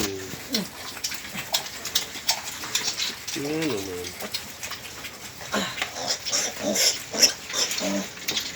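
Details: Pig on a farm where a sow died, leaving ten piglets, per the owner's report; short harmonic squeals and grunts come in bursts, mixed with people talking nearby.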